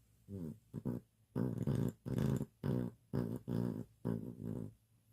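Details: Sleeping dog indoors snoring, low rumbling breaths in a steady series of about seven, each roughly half a second long, with brief quiet gaps.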